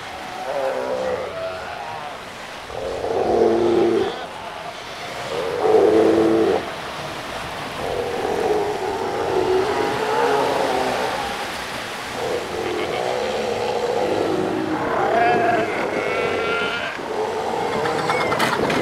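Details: Northern fur seals on Skala Dolgaya, Lovushki Islands, Northern Kurils, give hoarse, throaty bleats and roars over a steady, noisy colony chorus.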